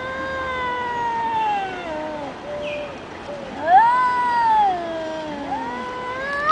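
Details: Two cats in a tense vocal confrontation, giving slow, drawn-out moaning wails that slide down and rise again, quieter and steadier, one brighter upswept yowl near the middle.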